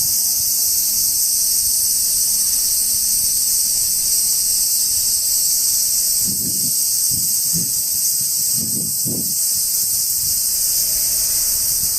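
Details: Insects singing among trees in Japan on a hot summer day: a dense, unbroken high-pitched shrill drone holds steady throughout, with a few soft low thumps and rustles between six and nine seconds.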